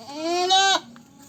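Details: A goat (Capra hircus) gives a single nasal bleat that rises slightly, then breaks off abruptly.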